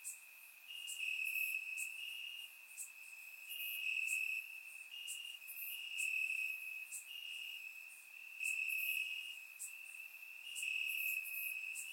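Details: Crickets in grass during a warm Bulgarian summer night, recorded in surround sound; a high, even trill overlaid by repeated bright pulses, volume rising and falling roughly every two seconds.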